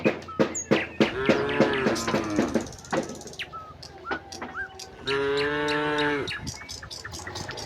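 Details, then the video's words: Dozens of tame cattle walk out of the barn to green pasture. Two mooing calls, one wavering and one steadier, rise above sharp clicking knocks and scattered bird chirps. "puluhan sapi lembu jinak berjalan keluar kandang menuju padang rumput hijau, suara sapi moo"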